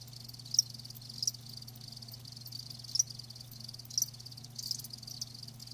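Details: Live crickets with a faint high trill punctuated by a few louder shrill chirps roughly once a second, set against a constant low hum.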